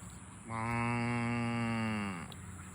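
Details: Farm cow being herded to the barn gives one long, steady moo of about two seconds with a rich stack of harmonics, slightly falling in pitch at the end, over a low background hum.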